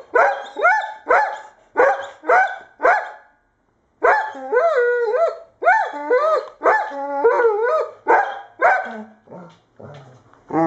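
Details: Irish Setter barking in a quick series of short, sharp barks, a brief pause, then longer whining, yodel-like barks with rising and falling pitch, ending in softer huffs.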